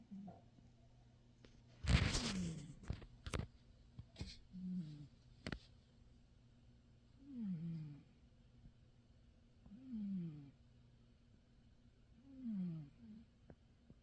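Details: Roger, a pet cat in deep sleep in his favourite bed, snoring in low, downward-sliding breaths repeated about every two and a half seconds, with a brief loud rustle early on.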